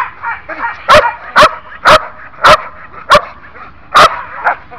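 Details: One-year-old Belgian Malinois in training barks loudly, six sharp, explosive barks spaced roughly every half second to second, with faint background murmuring between them.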